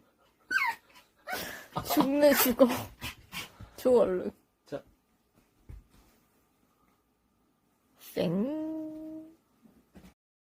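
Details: Pet dog making a strange noise to ask for treats quickly, indoors in a small room; harmonic whining and yowling sounds in bursts over the first four seconds, then a long flat whine near eight seconds, with human speech mixed in.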